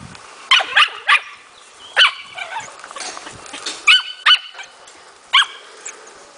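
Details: Four-month-old Smooth Fox Terrier puppy in hunting training, a kennel dog: shrill yappy barks, several in quick pairs, spaced by short pauses, over faint background bird chirps.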